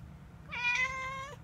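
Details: Cat pushing a door gives a single clear meow of under a second, slightly rising then level and fading, with rich harmonic tones over a quiet low hum.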